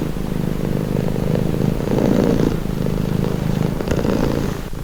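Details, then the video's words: Calming cat purr heard close: rapid fluttering low rumble, the loudness swelling midway then settling, a steady vibrating drone with gentle breathy texture and no other sounds. "Purring cat | Calming Relaxing Nature Sound"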